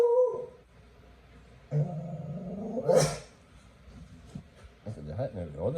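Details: A beagle lying upside down lets out low howls that climb and waver, broken by a sudden harsh cough, while people talk around him.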